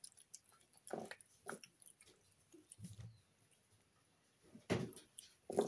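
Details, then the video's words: A female Snow Lynx Bengal pet cat chewing her food indoors. Sparse crunches and clicks are separated by quiet gaps, with one loud burst of crunching near the end. "SUCH LOUD EATER Snow Lynx Bengal Cat Eating Sounds"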